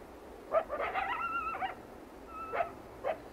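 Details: Wild coyote, described as a lone coyote singing its mournful song: a cluster of short rough yips leads into a brief, steady, whistle-like tone, then two more isolated yips follow over a quiet background.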